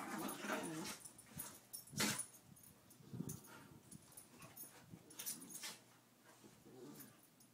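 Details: Play between an eight-year-old Chihuahua and a two-year-old Pit Bull: brief low growling bursts with a slight whine recur every second or two, over rustling and scuffling, with a loud thump near the middle.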